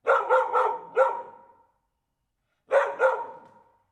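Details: Barking dog giving a rapid series of four sharp barks, a pause of about a second, then two more quick barks, with clean silence between bursts.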